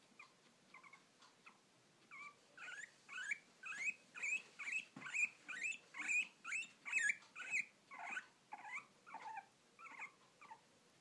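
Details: Hiccupping guinea pig gives a steady run of short, sharp squeaky chirps, about two each second, growing louder in the middle and fading toward the end.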